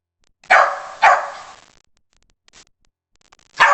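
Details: A West Highland White Terrier gives two quick, sharp barks half a second apart, falls silent for about two seconds, then lets out one more loud bark.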